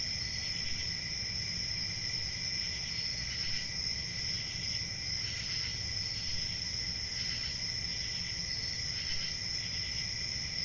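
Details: Continuous high-pitched cricket chorus, an unbroken ringing trill with brief louder pulsing swells every couple of seconds, soft low background rumble beneath.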